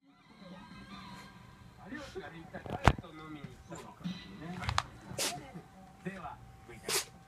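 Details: A Shiba Inu suddenly gives sharp, breathy sneezes, short bursts of air over people talking nearby; the owner wonders whether mosquito-coil smoke caused them.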